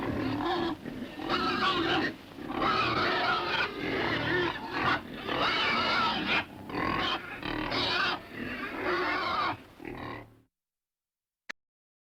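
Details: Several pigs in a pen grunt in rough, overlapping bursts, with some higher nasal squeals mixed in.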